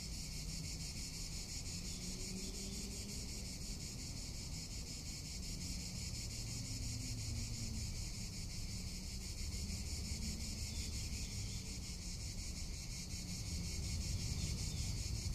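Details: Summer cicada chorus in Tuscany: shrill, continuous, finely pulsed buzzing that never pauses, with faint low wind noise underneath.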